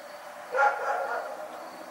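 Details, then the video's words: Night-time dog bark, one rough bark with a short echoing tail, against low constant background noise. "Barking Nightmare"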